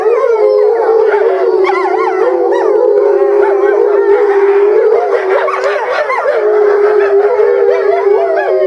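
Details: Eastern timber wolf family at Higashiyama Zoo, Japan, howling together in February 2012 breeding season; one level drawn-out howl persists beneath a tangle of higher warbling howls that thin briefly near the middle, then resume.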